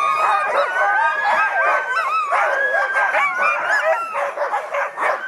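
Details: Many Husky sled dogs in Russian Karelia on a sled safari, howling and yelping together: continuous wavering tones with quick bursts of excited yips repeating rapidly and loudly for the whole stretch.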